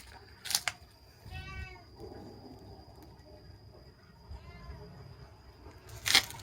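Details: Kittens at play meow twice, each a short, thin, harmonic cry about three seconds apart, between loud sharp clicks and knocks at the start and end, over a quiet indoor hum.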